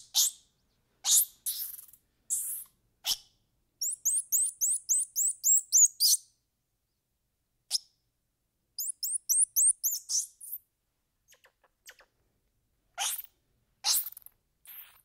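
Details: Squirrel monkey with two fast bouts of shrill, rising chirps, roughly a dozen in each run, set between loud, sneeze-like hissy bursts and sharp clicks.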